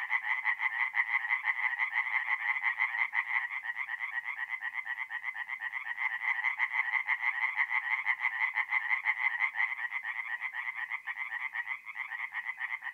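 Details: Many tree frogs singing by night at a forest pond, north-east Italy, mid-April: fast, regular, grating croaks repeated roughly twice a second, layered into an unbroken rhythmic chorus.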